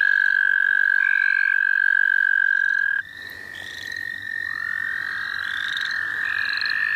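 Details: Chorus of wild frogs at St. Olaf College Natural Lands: one long unbroken trill gives way to another of slightly higher pitch. Brief higher chirps sound faintly in the background.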